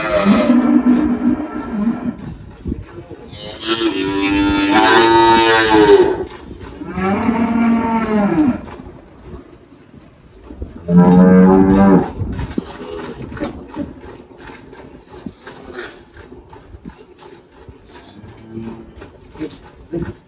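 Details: Four long lowing calls from Malhada, an 18-year-old Girolando cow kept on a Brazilian farm in Anápolis, Goiás, in March 2023; the moos come in a cluster, then a gap, then a last one, each harmonic and slightly wavering.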